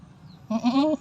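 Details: Goat giving birth, bleating once: a loud, half-second wavering bleat with strong stacked harmonics, steady then slightly rising, after a faint low background hum.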